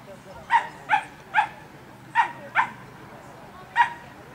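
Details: At an agility course, a Cavalier King Charles Spaniel lets out five quick, evenly spaced yappy barks, falls silent briefly, then adds one more bark.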